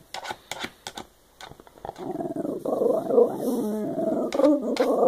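A Shiba Inu makes a drawn-out, wavering grumble that rises and falls after a few sharp clicks.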